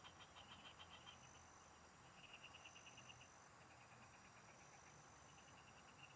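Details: Field frogs chorusing during fishing: several quick pulsed trills, high and clicky, start and stop in turn, with low background rumble and a thin continuous high tone.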